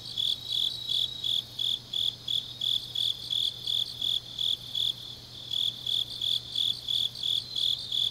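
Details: Grass insects on a deep autumn night in Changnyeong, South Gyeongsang, South Korea: a high, clear chirp repeated about three times a second in steady rhythm, over a faint, higher shimmering chorus of other insects and a low, steady hum.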